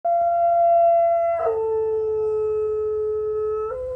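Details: Zooka, a 15-month-old pet dog, howling in August 2020: a long steady tone held over a second, then dropping abruptly to a lower sustained note that lasts about two seconds before stepping slightly up at the end.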